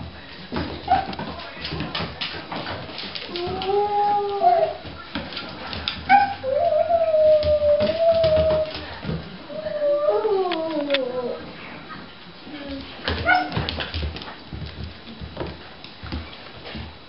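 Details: Dog from a household with Uru and four-month-old Kent: drawn-out, wavering whines and whimpering howls, several sliding upward then dropping, in bursts across the recording, with scattered clicks, thumps and low room noise between calls.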